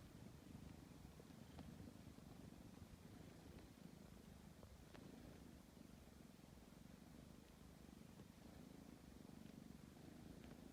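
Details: Tabby cat kneading before sleep, purring steadily in a low, fast-pulsed rumble that holds even for the whole stretch, gently swelling on each breath, nothing else clearly heard.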